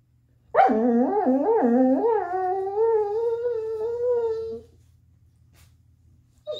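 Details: Chaco, a black female Labrador-Coonhound mix dog, trying to get her ball out: one long, wavering, tonal howl-like whine lasting about four seconds, rising and dipping at first, then holding steady and fading into quiet.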